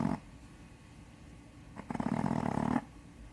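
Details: Snoring Shih Tzu, a female of about seven to eight years, blind in the left eye, who has had surgery to widen her nostrils. A brief rasp is followed by a buzzy, rattling snore lasting about a second, indoors.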